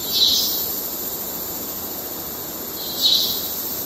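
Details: Male cicada courtship calls in Kerala wildlife: two short buzzy bursts, high-pitched, about three seconds apart, over a steady high hiss and soft background noise.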